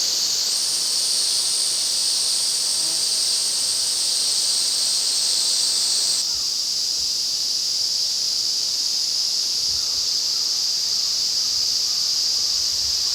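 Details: Ezo cicadas (Tanna japonensis) in overwhelming chorus, recorded in midsummer August at Afan Woodland forest, Shinano, Nagano, Japan; a dense, steady, high hissing buzz fills the whole clip, its tone shifting slightly partway through.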